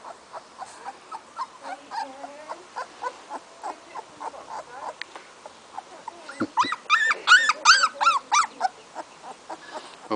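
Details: Young female Weimaraner named Indie whimpers in short, thin squeals repeated steadily, rising to a louder burst of sharp, arching yelps toward the end.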